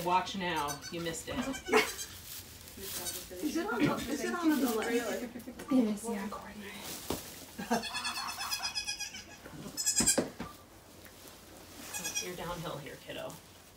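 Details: Rescued doe Maybel with her four newborn kids on birth day at Goats of Anarchy; wavering, quavering bleats rise and fall among steady human speech, with some breathy pauses.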